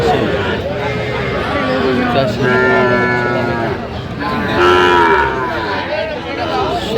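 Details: Sahiwal bull at a busy cattle market in Dhaka, Bangladesh, 3 January 2025, giving two long, drawn-out lowing moos, one around two seconds in and another near the fifth second, over constant crowd chatter and human voices.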